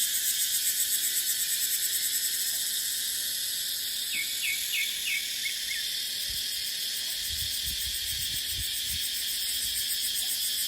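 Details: Cicadas in a deciduous dipterocarp forest in the dry season, with wind. A dense, shrill, high drone never stops, throbbing rapidly in the first seconds. A few short bird chirps come near the middle, and low wind gusts rumble later.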